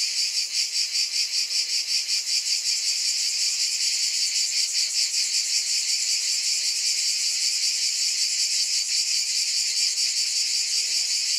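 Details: A shrill cicada chorus keeps up an unbroken sizzling drone, pulsing evenly around two and a half times each second. The pulses are strongest at the start and then smooth into a steadier hum.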